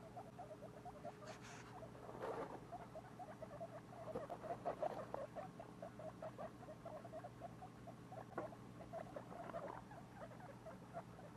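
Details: Two-week-old baby guinea pigs, kept as pets, give a soft, rapid train of pulsed chattering or purring notes, with louder bursts near the start, middle and end over a steady low background hum.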